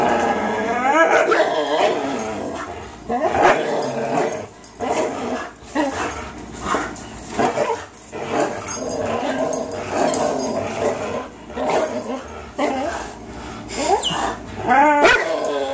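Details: Fox, a three-year-old Greyhound, and Miles, a three-year-old German Shorthaired Pointer, tugging at a toy together: dense growling with short bark-like bursts and several sharp, pitch-sweeping yips, especially toward the end.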